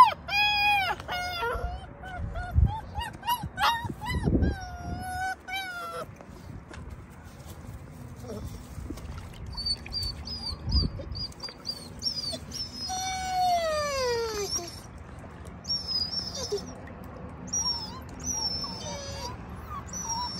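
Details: Stressed puppy whimpering beside its worried mother because it cannot follow her into a garden; tonal whines rising and falling through the opening seconds, then high thin bird-like chirps and sweeping whistles in the background.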